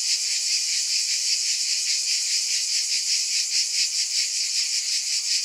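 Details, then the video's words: Unbroken high-pitched cicada buzz, a sizzling wall of sound with a soft rhythmic throb, slightly uneven in places, and no low sounds or other noises. "Scintillating Cicadas"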